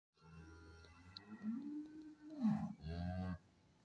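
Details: Holstein cow on a dairy farm giving a low, drawn-out moo that swells and bends downward, followed after a short gap by a second, steadier low moo; a faint steady hum runs underneath.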